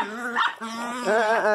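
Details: Teco, a Miniature Pinscher, gives a loud sustained moaning cry: a steady drawn-out tone that breaks into wavering, quavering howls near the end, with a woman's voice mixed in.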